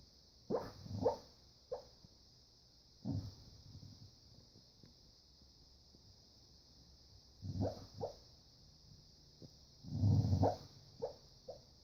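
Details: A male dog barking and growling in his sleep while dreaming: soft, muffled woofs in short clusters, a low rumbling growl near the end, over a steady high hiss.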